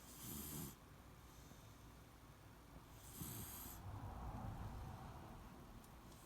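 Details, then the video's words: Shiloh, a Beagle, sound asleep and snoring, with two long hissing breaths about three seconds apart over a soft low rumble. A quieter, drawn-out wheeze fills the space in between. "ビーグル犬シャイロ 熟睡いびき"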